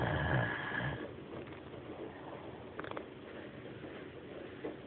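A Great Dane gives one loud, throaty snore at the start, a coarse low rumble. Quieter, breathy rasping follows as the sleeping dog breathes out and in.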